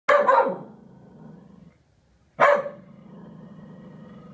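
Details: Corgi barking, upset at a sailboat kite: two loud, harsh barks about two seconds apart, each trailing into a rough, growly tail.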